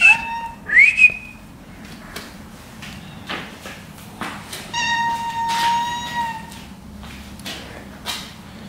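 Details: Coco, a stray cat that may be pregnant, back after a day sleeping outdoors and thought to be hungry, gives a long, steady, level meow lasting nearly two seconds, preceded by a short rising whistled note, with faint music and room noise.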